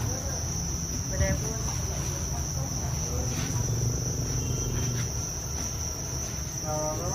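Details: Thai crickets on a farm where they are raised commercially, giving a steady, unbroken high-pitched trill that holds one pitch throughout, over low rumbling background noise and faint distant voices.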